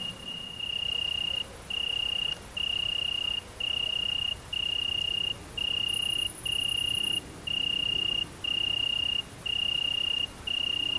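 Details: Great green bush-cricket (Tettigonia viridissima) recorded during mating in the countryside of central France on 22 August 2016. Shrill, even buzzing bursts, each lasting under a second, repeat about once per second. A brief faint high tone sounds midway.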